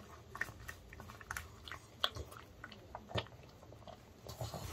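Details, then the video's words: Pug named Ttungi, a male born 2015, eating homemade dog-safe chicken indoors in early summer; crisp crunching bites and wet chewing come in quick irregular bursts, with short louder crunches near the start, middle and end. "Pug Puppies Eating Sounds Mukbang"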